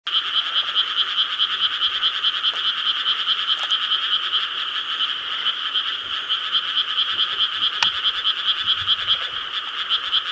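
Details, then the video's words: Many frogs croaking together in rice paddies in Korea on a summer night, 4 July 2013: a dense, continuous chorus of rapid, pulsed croaks, high and bright, rising and falling in loudness about twice a second. "여름 밤 개구리 합창 Chorus of frogs croaking in rice paddies of Korea"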